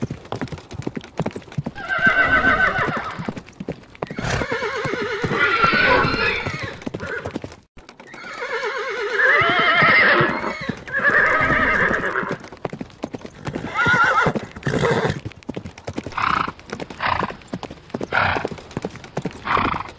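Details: Horse neighing repeatedly: several vibrating whinnies with rolling tremolo, separated by pauses, followed by short snorts and hoof clops toward the end.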